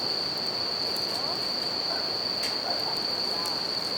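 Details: Brief stretch of bell crickets ringing steadily and high at night by a river, with a few crackles from a campfire and the continuous rushing sound of the stream.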